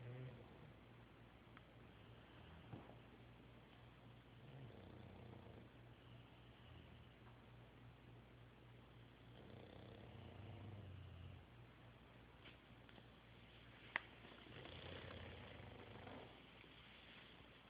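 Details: Sleeping dogs, three together, breathing in slow cycles: soft rasping snores rise about every five seconds over a constant low room hum, with a faint click in between.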